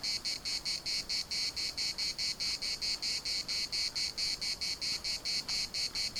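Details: Cicadas at a municipal park in Larnaca producing a relentless high buzzing pulse train, a little over two pulses per second per half, steady and metallic, with faint scattered ticks behind.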